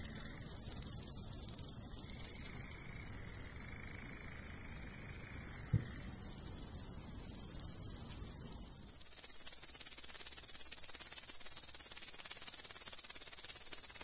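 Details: Grasshopper stridulating with a shrill, continuous high buzz; partway through the sound shifts to a sharper, more pulsed rasp, and a brief click is heard near the middle.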